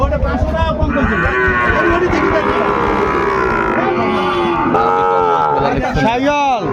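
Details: Sahiwal bull calves at the busy opening of Ambari market, Dinajpur, Bangladesh, 23 February; a long low moo swells for several seconds, followed by shorter calls, with buyers' and sellers' voices throughout.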